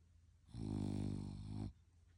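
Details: A sleeping French Bulldog lets out one rough, low snore of just over a second, slightly pulsing, swelling then fading, in a quiet room.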